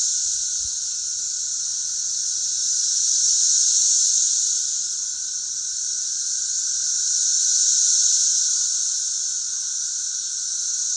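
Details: A chorus of cicadas singing together on a country road in Missouri makes a steady, high, hissing drone that swells and fades every few seconds.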